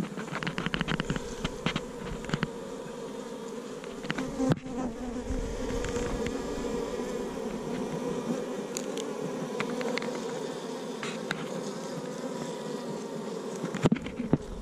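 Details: Asian honey bees in a cavity nest under a hut, being dug out: a steady, low droning hum runs throughout, broken by sharp scraping and knocking clicks from the digging.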